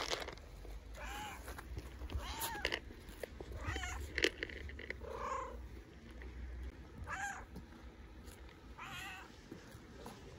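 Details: Stray tabby cat on an Istanbul street meows loudly from hunger: about six short wavering meows spaced a second or two apart, with rustling, clicks and a steady low hum underneath.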